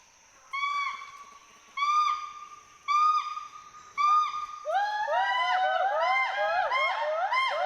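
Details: Two endangered Western hoolock gibbons swinging among trees in Hollongapar Gibbon Sanctuary, Assam, call to communicate socially and mark territory. Four long level hoots about a second apart build into a dense, overlapping series of arched whoops.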